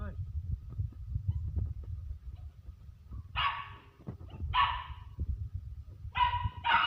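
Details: German Shepherd puppies giving a few short, high whining yelps in the second half, each with a bright rising-falling tone, over a steady low rumbling background.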